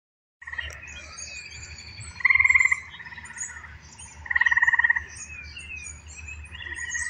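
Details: Eastern gray treefrogs (Dryophytes versicolor) in Pennsylvania give short, musical pulsed trills over a steady background chorus.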